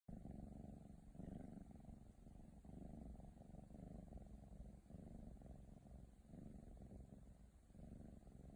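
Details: Ragdoll kitten, female, purring steadily: a continuous low rumbling purr with rhythmic pulses throughout, no other clear sounds.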